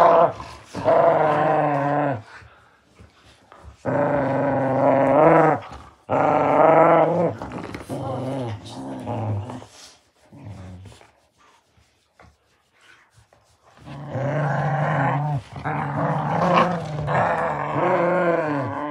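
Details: Two beagle puppies, Rex and Bentley, growl while playing tug of war: long rumbling, harmonic growls in bursts of about two seconds, separated by short quiet gaps, with a longer snarling stretch near the end.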